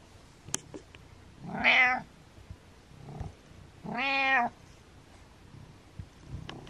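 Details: Pet cat Butters calls to rouse his sleeping owner, giving two loud, nasal meows about two seconds apart, the first brighter and more strained, over a quiet room with faint clicks.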